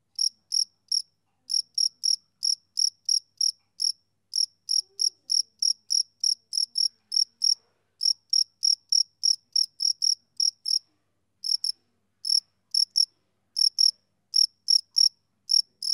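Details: Male cricket chirping: short, high, clean pulses repeated rapidly in uneven runs with brief pauses between bursts, one steady caller, no other sounds in the background.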